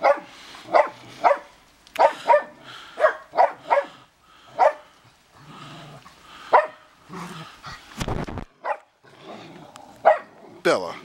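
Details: During a first snowfall at a Big Bear house, dogs bark after hearing the neighbours: a fast volley of ringing barks, then sparser ones, broken by a loud crackling noise near the end.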